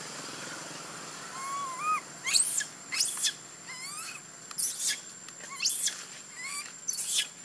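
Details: Little monkey Bailee crying after being hurt by an angry monkey, Bella: arched, whistled cries with rising and falling harmonics, mixed with shrill, piercing screams roughly every second.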